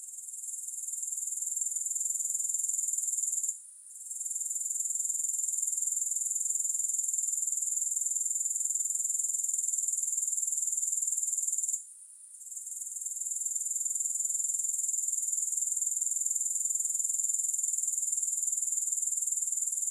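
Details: Grasshoppers, recorded without music, producing a steady, very high-pitched shrill trill with fine rapid pulsing, broken by two short pauses near four and twelve seconds before resuming at full strength.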